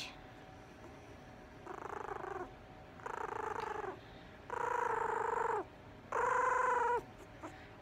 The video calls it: Yorkie puppy growling!